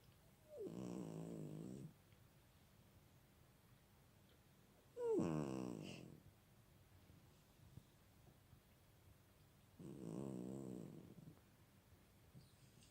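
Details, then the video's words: Sleeping cat snoring softly: three drawn-out, buzzy, rattling breaths, each lasting over a second and spaced about four to five seconds apart, with quiet pauses between them in a calm indoor setting. "Snoring cat"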